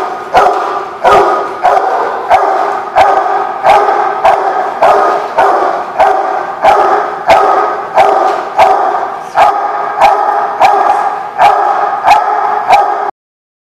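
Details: Dog barking persistently, recorded 17 June 2016: about eighteen loud, harsh, mid-pitched barks in steady succession, roughly one every three-quarters of a second, ending abruptly.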